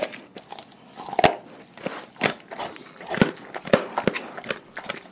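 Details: Pack of dogs eating a raw food diet indoors; sharp crunches and wet bites recur about once a second, with softer chewing and crackling between them in a small room.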